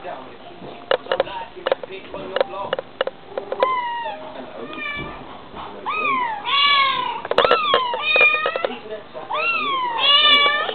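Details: A Bengal cat mother and her kitten in conversation: a run of short chirps and clicks, then rising-falling meows that grow louder and more frequent toward the end.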